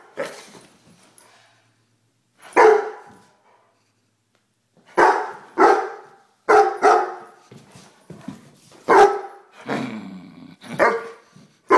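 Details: A 1-year-old Weimaraner barks in loud, deep bursts, some single and some in quick pairs, with uneven pauses.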